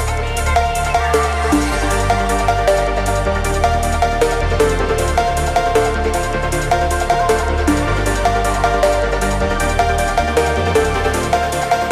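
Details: Pounding electronic dance music with a steady driving beat and synthesizer chords fills the whole stretch, with no animal voice.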